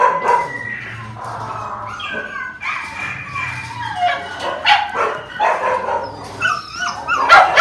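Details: Phu Quoc Ridgeback dogs of various ages give high, wavering whines and short yips with a few barks.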